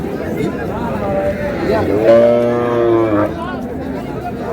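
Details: Dairy cow, offered with calves at the Raniganj cattle market in Dinajpur, on June 25, 2026, gives one long, low, droning moo lasting about a second, rich and steady, amid a busy crowd of men bargaining over prices.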